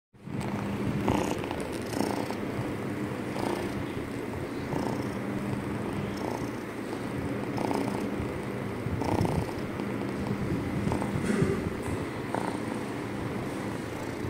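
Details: Loud purring from a domestic cat: a steady low rumble swelling and easing in cycles roughly every second and a half as the cat breathes in and out, with faint background hum.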